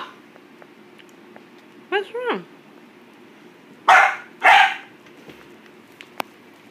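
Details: Boxer puppy barking at a plastic bottle: a brief rising-falling whine, then two loud, sharp barks about half a second apart, with a person's voice asking what's wrong and urging it to go get it.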